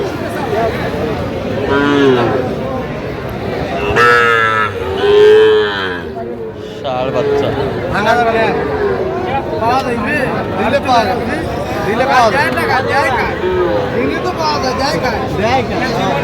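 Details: Sahiwal bull calves at a crowded cattle market, recorded 4 October 2025. One strong, sustained moo rises out of constant human talk and market bustle, with further fainter lowing around it and brief music.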